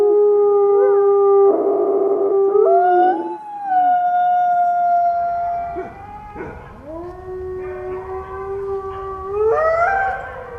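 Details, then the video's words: A wolf group in a layered howl: long sustained notes at different pitches, some rising steeply, with brief harsh yelping bursts breaking in between the drawn-out tones. "WOLF SOUNDS! What is the sound of wolf?"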